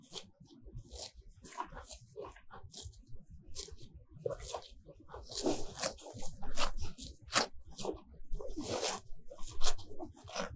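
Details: Cows grazing close up in a sunny field of fresh grass, tongues pulling off the grass in rough, crackling tearing bursts about every few seconds, with soft low munching between pulls.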